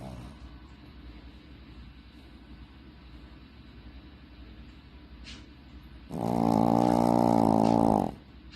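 A Shih Tzu snoring: soft rumbling breaths, then one loud, rasping, buzzy snore lasting two seconds.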